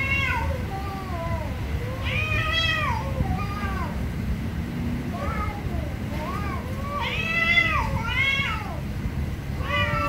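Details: Very angry cats meowing loudly, with overlapping voices trading long, bent, wailing meows, several rising sharply then dropping, in near-constant succession over a low humming background rumble.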